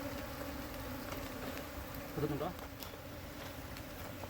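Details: Buzzing of a honey bee colony during its move into a hive set in soil, bad combs being swapped out; an even, low hum runs across the clip, with a brief louder handling sound midway and faint voices.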